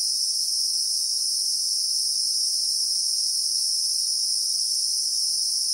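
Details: Bushveld in South Africa with Christmas beetles (Anoplognathus) producing a constant high, shrill, ringing drone, evenly loud from start to finish, real-time recording with only a faint low rustle underneath.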